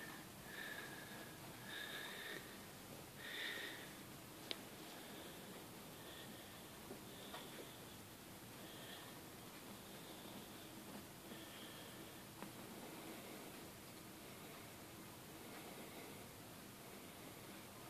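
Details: Young golden (Syrian) hamster, newly taken home on 8 February 2014, in a first encounter, calling when afraid or annoyed: short squeaky cries in quick bursts, loudest in the first four seconds, then fainter scattered squeaks over breathy background noise.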